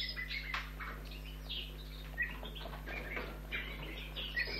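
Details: Orphaned young red squirrel at a wildlife rescue station during feeding, giving scattered short high squeaks and brief rustling bursts over a low constant hum.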